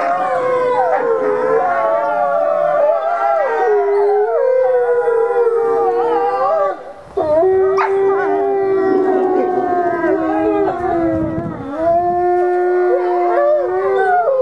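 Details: Ambassador gray wolves howling during daily dominance interactions: several overlapping voices in long, wavering, mostly level howls, some sliding up and down, with one voice dropping low and steady midway and brief breaks between calls.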